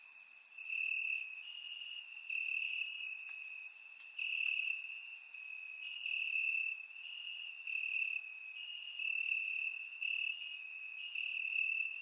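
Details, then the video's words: Crickets in the grass on a warm summer night, Bulgaria: a sustained high-pitched trill broken into long pulsing phrases, with louder overlapping chirps from several insects rising and fading through the recording. "Cricket Sounds - Crickets Chirping at Night"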